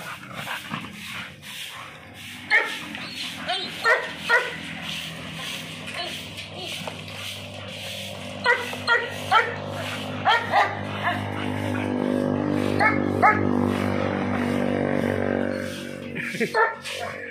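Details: An American Bully gives clusters of short barks separated by pauses, set against a constant low mechanical hum and some background talking.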